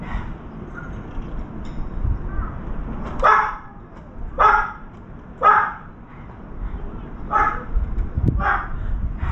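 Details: Barking of a dog heard as a round-foreheaded crow visits a veranda feeding spot; a run of six clipped barks in the second half, over a steady low rumble of background noise.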